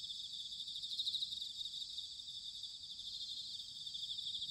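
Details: Autumn night chorus of bell crickets recorded in Sanuki, Chiba Prefecture, Japan: high, finely pulsed trilling from several insects at once, steady and unbroken, with faint low background rumble.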